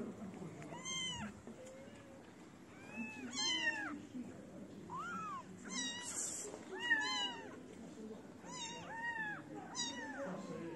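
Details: {'text': 'Street kittens abandon their black-nosed mother to cluster around a feeder, meowing repeatedly: bright arched calls, some doubled, arriving every second or so, with a brief burst of noise midway.'}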